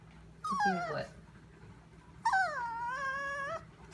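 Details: Sophia, a Chihuahua, whining in a kitchen at 2am as she stares at something; a short falling whimper followed by a longer, steady, nasal whine lasting over a second, over a low constant hum.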